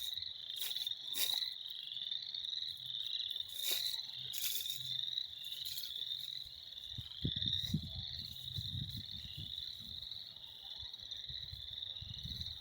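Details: Many frogs trilling together in spring, a steady high-pitched pulsing chorus; sharp clicks early on, then low thumping and rustling noises in the second half.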